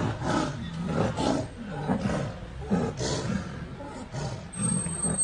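Bengal tigers growling and roaring harshly in a fight, deep rough bursts about once a second.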